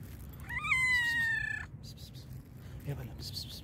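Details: A black and white cat meowing loudly because it is very hungry: one long, drawn-out, slightly falling meow lasting about a second, over low background hum, with a soft faint sound afterward.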